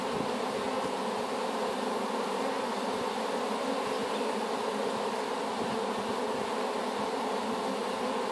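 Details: A swarm of honey bees, just hived after capture from an apple tree, keeps up a steady, dense buzzing hum with slight flickers of individual wingbeats low down, otherwise unchanging.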